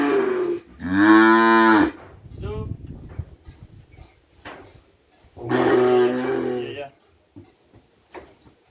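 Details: Madura cattle, kerapan bull-race breeding stock brought from Sapudi Island, kept at a village home: two drawn-out, harmonic-rich moos about four seconds apart, each lasting around a second and a half, with quiet rustling between them.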